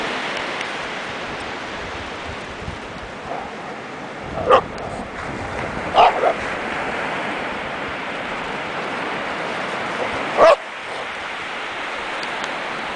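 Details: A dog, one of a family's whippets and galgos on the Atlantic coast on a calm July afternoon, gives three short, sharp barks, spaced a few seconds apart, over steady surf.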